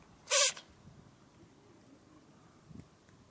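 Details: American Shorthair cat, filmed on 3 March 2013 while sneezing repeatedly; a single sharp, broadband sneeze burst near the start, then quiet room noise with a faint soft sound near the end.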